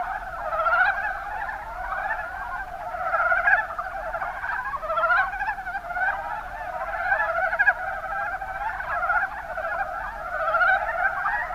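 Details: Mountain brown frogs (Rana ornativentris) in the Kuma Basin, Kumamoto, Japan, calling in a dense chorus: many overlapping rapid chuckling trills, mid-pitched, swelling and fading in waves without pause.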